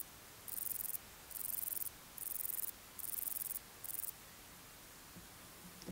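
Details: Male bicolor meadow bush-cricket (Bicolorana bicolor) giving its calling song, very high hissing buzzes in short repeated bursts; recorded 12 August 2019 at Torcegno, Trentino, Italy.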